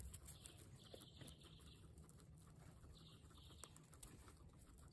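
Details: Guinea pig giving faint, high squeaky calls in drawn-out bursts, two groups early and another pair near the middle, over steady low rumbling background noise with scattered soft clicks.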